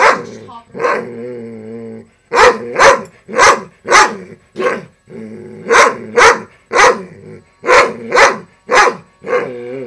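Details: A pet dog, female, barks repeatedly at a loud, broken robotic frog toy. Wavering, whining motor hum from the toy at the start and end. Sharp barks in quick pairs and runs in between.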